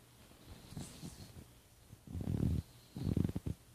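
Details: A domestic cat snoring indoors: soft, low rumbling breaths that strengthen into two heavier, throaty snores in the last half, each lasting about half a second, with quiet pauses between and no other clear sounds.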